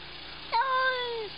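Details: A cat gives one long meow that starts with a quick rise, then holds steady and slowly falls away, against a faint steady hum.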